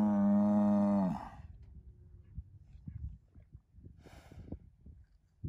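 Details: Deep, steady one-second bellow from an Angus herd sire bull born spring 2018, son of SAV Harvestor 0338, followed by quiet low rumbling and soft thumps.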